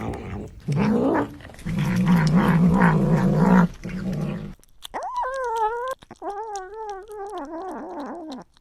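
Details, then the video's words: Cat making noises while eating indoors: low rumbling grumbles and growl-like murmurs for about four seconds, then a pause and several drawn-out, wavering, whiny meow-like calls. "Cats make cute noises when they eat"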